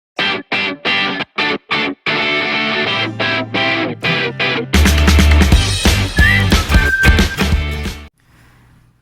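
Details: Loud rock music with guitar, first in choppy bursts and then continuous, ending abruptly with no animal sound.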